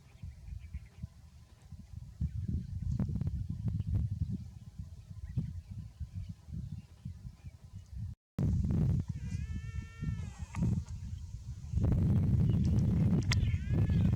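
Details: Baby buffalo calf, said to be too hot, gives a drawn-out harmonic bleating cry lasting about a second and a half, then a shorter, higher rising cry a few seconds later, over a steady low rumble of wind-like noise.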